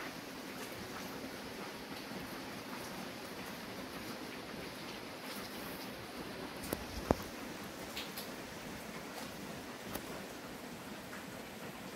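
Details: Steady broadband hiss of heavy rain indoors, with a few faint clicks and rustles and no clear animal voice.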